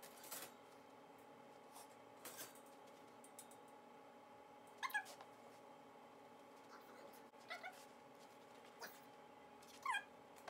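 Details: Coyote, a puppy practising Kennel Up training so she can stay in a kennel and not chew the house while her owners are away, gives three short, high, squeaky whimpers spaced a few seconds apart over a quiet indoor background.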